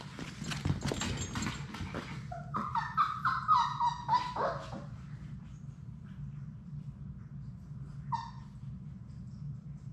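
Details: Labrador Retriever puppies at play in their play room, one of Sadie's litter of six: a few short high yelps and whining squeals bunch around the middle, then fade to a low hum with one last brief yelp near the end.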